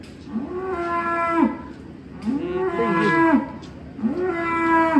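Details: Black contest-champion bull called Grandong, known as Undertaker, lowing three times in about five seconds: each moo a drawn-out, steady, harmonic-rich bellow lasting around a second, with short pauses between.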